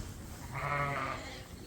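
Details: A single sheep on a snow-covered farm gives one wavering, nasal bleat lasting under a second, over a steady hiss of background noise.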